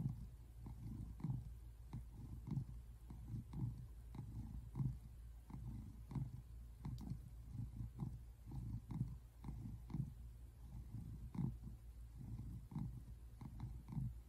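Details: Simon, a male American Shorthair tabby cat, relaxes on a couch and purrs in a steady low rumble that swells and fades with each breath. Recorded February 8, 2024, in South Central Pennsylvania, USA.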